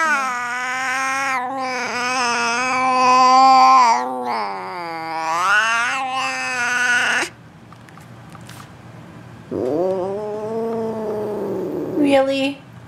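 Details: Missy, a female F2 Asian Leopard Cat hybrid on top of the refrigerator, lets out a string of long, wavering, bending yowls. A quiet pause follows, then one more rising-and-falling cry.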